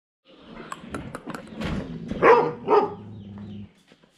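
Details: German Shepherd barking loudly at a person across from it; several short rough barks build to two louder, harsh barks near the end, over a steady low hum in a small indoor space.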